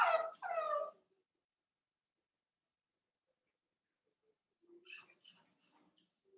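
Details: Cavalier King Charles Spaniel puppies, Ruby and Blenheim coats, born June 2022, filmed overnight on a puppy cam; two drawn-out, falling whines close together, then a long silence and a few faint, high squeaks near the end.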